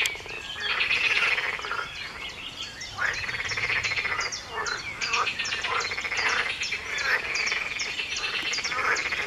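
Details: A dense frog chorus of overlapping rattling croaks and pulsed calls continues without pause at 4 a.m. on 23 June 2019 in a garden, with birds.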